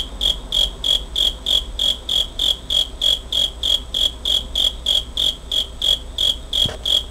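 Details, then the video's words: Cricket sound from 27 August 2011, recorded on a Pentax compact camera: rapid, regular high chirps about three each second, with a brief low thump near the end. "귀뚜라미 소리 cricket sound"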